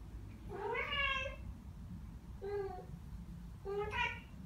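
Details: Ragdoll cats Ao and Aki, aged one year and nine months, indoors answering birdsong they hear: three short harmonic chirps, the first longer and wavering, the others brief and level, spaced about 1.5 seconds apart.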